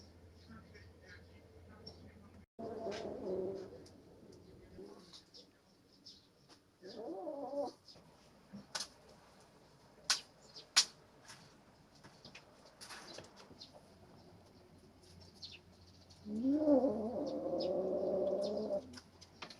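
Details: Three-month-old kittens squabbling over a rat snake they caught: short harsh wavering growls in three bursts, near the start, around seven seconds and a longer one near the end, with scattered clicks and rustling between.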